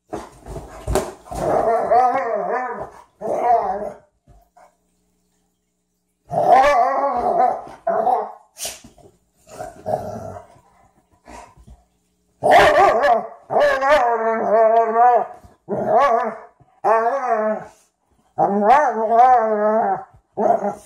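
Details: A Frenchton and a Rhodesian ridgeback at their first play session make repeated drawn-out, quavering growls in bursts of one to two seconds, broken by short scuffling noises and sharp huffs, with quiet gaps between.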